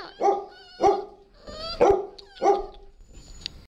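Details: Ziggy, a dog, gives four loud, clear barks in two pairs, each pair about half a second apart with a longer gap between them, followed by a faint click in an otherwise quiet background.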